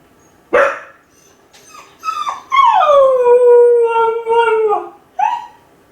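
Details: Lonely Kai Ken Ichi, home alone and howling wolf-like from a high place to summon its family: a sharp bark-like yelp, then a long howl that climbs and slowly descends, and a brief final yelp.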